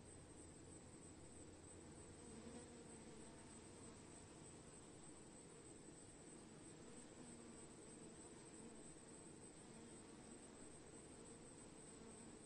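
A swarm of honey bees gives a dense, low, continuous hum from many wings at once.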